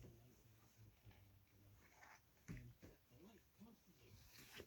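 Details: Four-week-old Irish Wolfhound puppies just after a feeding on July 13, 2023, indoors: low grunts and short curved whimpering squeaks in a loose series, over soft rustling and pattering of the litter.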